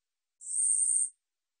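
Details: A single shrill, raspy buzz of under a second from the katydid 우리여치, recorded in 2020 by the National Institute of Biological Resources, swelling quickly and cutting off cleanly against silence.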